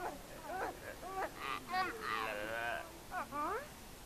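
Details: Geladas in Ethiopia's Simien Mountains National Park give close, voiced calls: swooping rising-and-falling harmonic wails and a wavering drawn-out moan, in quick bursts of about half a second, loud against a quiet mountain background.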